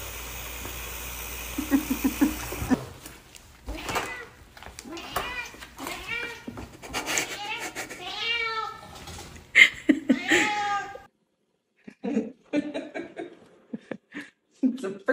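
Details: Blue-eyed Siamese cat meowing indoors: a run of short, arched, harmonic-rich meows tumbling one after another for several seconds, then a few brief, quieter mews after a pause, with human voices mixed in.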